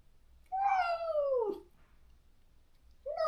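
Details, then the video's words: After neutering, a stray countryside-yard cat wails for its lost companion. One long, plaintive meow falls steadily in pitch over about a second, and a second cry begins just as the recording ends. "중성화 수술 후… 강제로 헤어진 단짝을 찾아 매일 울부짖는 고양이"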